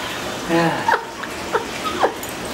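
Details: A female rescue Basenji, distracted by food on the dinner table, backtalks her male owner's repeated sit and down commands with short, swooping, yodel-like whines.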